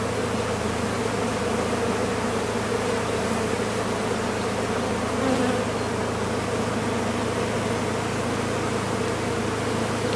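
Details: Massed buzzing of a large honey bee colony found in a condemned chimney and taken out. An intense, continuous whirring drone throughout, swelling slightly near the middle, layered over a constant deep hum.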